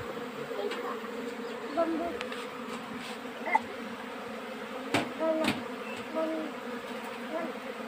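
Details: Honey bees at work in a summer nectar flow, steady droning hum of many bees with occasional sharp clicks and brief higher tones from other sounds mixed in.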